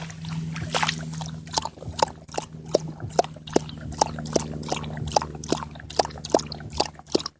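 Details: Dog drinking water from a pond: wet lapping slaps repeated about twice a second, each a short splashy burst, steady and unhurried over a constant low hum.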